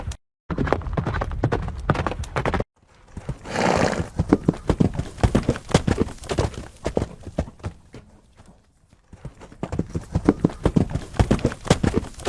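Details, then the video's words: Horses galloping: rapid, heavy hoofbeats drum steadily for the opening seconds, a brief breathy rush follows, then the hooves thud on in uneven bursts before picking up again toward the end. "Som de Cavalos Relinchando e Galopando"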